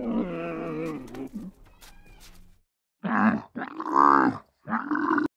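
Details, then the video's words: Domesticated dromedary camel bellowing: a long, low, harmonic groan, then a pause, then three loud gurgling, roaring bursts, the middle one strongest and rising in pitch. "CAMEL VOICE | CAMELUS | DOMESTICATED | WORKING ANIMALS | DROMEDARY | BELLOWS | BLEATING"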